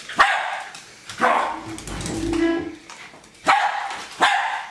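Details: Pet Jack Russell Terrier Hali going after a remote-controlled car: a few loud, spaced barks, about one a second, with a low motor whir and rattling in the middle stretch.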